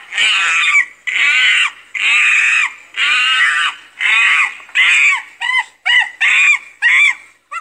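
A monkey gives loud, harsh screams in a steady series, then quicker, shorter squealing calls.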